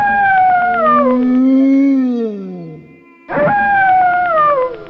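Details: Howling wolf: a descending wail gliding gradually lower over about three seconds and fading out. After a short pause, a fresh howl starts high and slowly slides downward.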